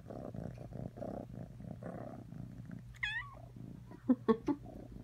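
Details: A cat purring with a low, steady pulsing rumble for about three seconds, then a short rising-falling meow, followed by a few brief soft chirps near the end.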